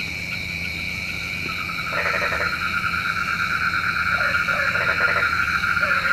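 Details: Night chorus of frogs, described as calling the rain: pulsed croaking bursts and brief nasal notes scattered across the clip, layered over a constant high droning hum.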